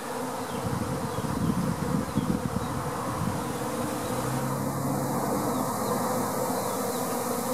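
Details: Swarming honey bees entering a top bar hive: continuous thick buzzing of many insects, a low droning hum that holds steady throughout, with slight shifts in tone midway.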